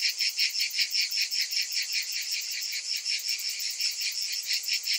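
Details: Many cicadas in summer producing a shrill buzzing chorus that throbs in regular waves, about two and a half pulses every second, over a constant high hiss.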